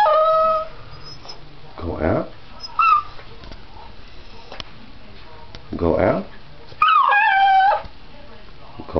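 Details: Miniature Pinscher named Bandy asking to go out with his own voice: wavering, tonal whines and short howls, the last one long and sliding, answered between calls by a person's speech.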